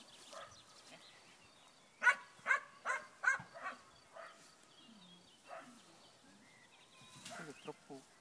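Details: Barking from a black German Shepherd at a tracking training session: five quick barks in a burst, then scattered fainter barks and soft background voices.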